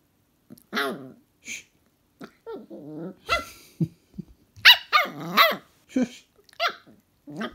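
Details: Cheeky West Highland White Terrier puppy answering back with sharp, high yappy barks mixed with rough growls. The barks come in quick irregular bursts, several close together, inside a small room.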